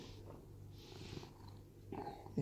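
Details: Rescued domestic cat at home in Cooktown, Queensland, Australia, purring indoors: a steady, low, throbbing rumble that runs unbroken through the whole stretch, with faint airy hiss at moments and a soft knock at the very end.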